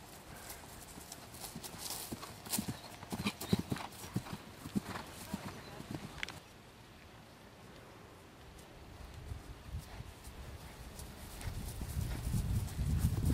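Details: Horse at cross-country jumping school, a young jumper still learning: rapid irregular hoof thuds for about six seconds, a quieter stretch, then heavy low wind buffeting and rumble toward the close.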